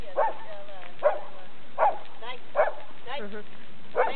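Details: Pet Labrador Retriever barking: six short, sharp barks spaced under a second apart, with wavering, whine-like tonal sounds between some barks.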